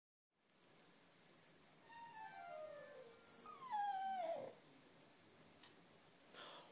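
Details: A black female Cocker Spaniel, who howls along to wind instruments, especially clarinet, howls in long, sliding, falling tones over faint music, sounding a bit tired and groaly.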